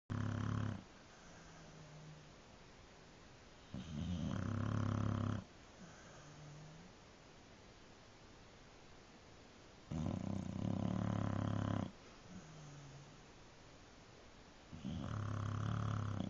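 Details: Shelby, a sleeping dog, snoring indoors: loud rasping breaths roughly every five to six seconds, each about one to two seconds long, with faint low whistling exhales between them.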